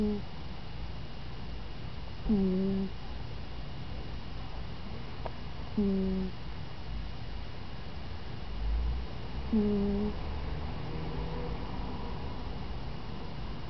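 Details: Brie, a pet cat, snoring while asleep indoors; three short, fairly high-pitched nasal snores, each sliding slightly downward, spaced about three to four seconds apart over a faint steady room hum.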